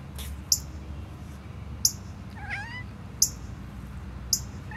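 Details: On 22 June 2022, a domestic cat gives one brief, quavering chatter at a cardinal in a tree above, which chirps sharp, high chips about every second and a half.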